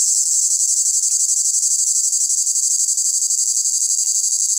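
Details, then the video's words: A male cicada stridulates at full volume with its abdominal cymbals, a loud, continuous, high-pitched buzzing song with a fast steady pulse, meant to attract females. "Cigales"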